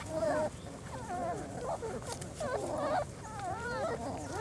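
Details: German Shorthaired Pointer litter, four weeks old, making its first outing outside, with almost continuous whimpering: looping, arching squeals from several pups crowding one another, steady ground noise beneath.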